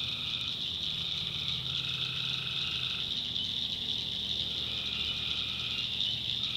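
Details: Tree frogs calling at night in a backwoods swamp of North Carolina: a dense, unbroken high trilling chorus, with lower buzzy drones surging in for a second or two at a time, then fading.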